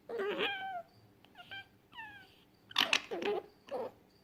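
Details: Fennec fox uttering falling, whistle-like cries with clear harmonics, then a cluster of harsher, noisy squeals and chatters in quick succession.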